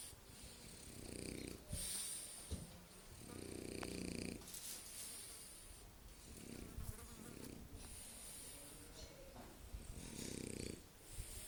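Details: French Bulldog asleep during a nap, snoring in a steady run of rough, buzzing breaths, each rattling snore lasting about a second and separated by hissy, wheezy exhales.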